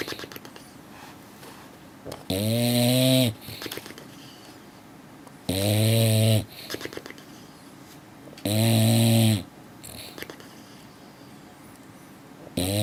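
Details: English Bulldog. An English Bulldog snores loudly, each breath a rough, buzzing rattle lasting about a second. The snores come in a slow, steady rhythm roughly three seconds apart, with quiet breathing between them.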